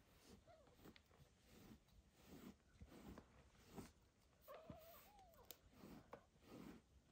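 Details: Indoors, a mother cat back from veterinary surgery after a difficult birth meets her newborn kitten Michael, who keeps searching for milk; a few short, thin, arching mews rise and fall amid soft rustling and handling noise.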